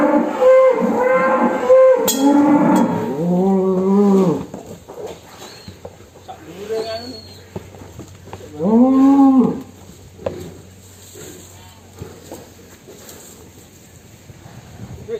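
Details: A big fat cow named Damarwulan, described as raging as it comes out of its pen, gives long, low, drawn-out moos over the first four seconds, then another loud moo near nine seconds, with faint voices and handling noise between calls.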